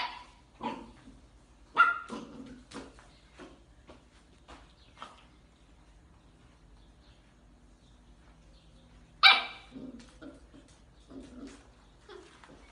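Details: Miniature dachshund at play, from a compilation of playful pet clips: a few sharp, high barks spaced irregularly, a loud single bark near the end, and soft rustling and knocking between them in a quiet room.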